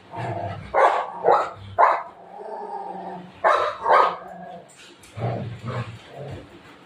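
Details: Playful Golden Retriever pestering its owner during an afternoon nap, letting out short, sharp woofs in quick clusters, three within two seconds, then a pair and a final trio, with quiet murmuring between.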